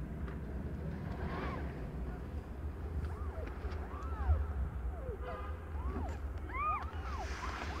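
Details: Indoors as the young cat Aimee, under a year old, gives birth to five kittens: a string of short, thin, arching mews in quick succession through the second half, over a low background hum.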